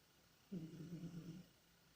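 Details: Domestic cat Tikhon, asleep and dreaming, gives one low drawn-out tonal moan of about a second with a steady voiced buzz, set in an otherwise quiet room.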